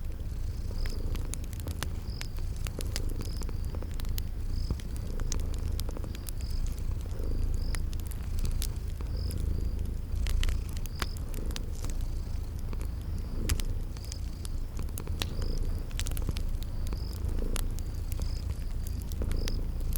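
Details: Sleeping cats purring by a crackling fireplace amid spring garden sounds: an unbroken low purr with gentle swells, scattered fire snaps, and thin high chirps returning roughly every second throughout.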